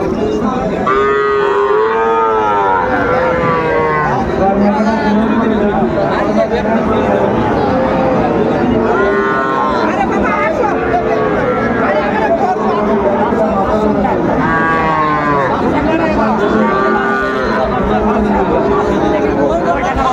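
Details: Repeated moos from Sahiwal calves at a crowded cattle market in Comilla, Bangladesh, where farmers buy bull calves. Bursts of loud, harmonic lowing come every few seconds across twenty seconds, amid constant human voices.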